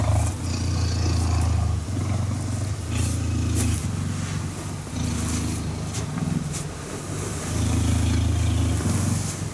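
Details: Deep, throaty purring from a cuddling cheetah. Bursts of rumbling vibration about one to two seconds long alternate with the breath and go on without pause.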